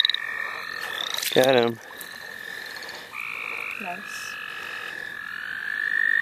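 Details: Wild frogs calling in the St. Olaf College Natural Lands during a frog-catching outing: a brief, loud, rough pulsed croak near the start, then quieter overlapping tones and a faint short call, with a steady high whine rising toward the end.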